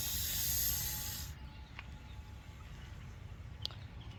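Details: Russell's viper (Daboia russelii), a venomous snake being released by a rescuer, gives a loud, airy warning hiss that cuts off after about a second, warning to keep away.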